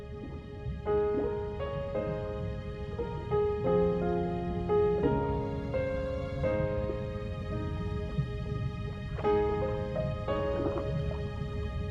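Soft, slow instrumental music with sustained tonal chords and no animal calls.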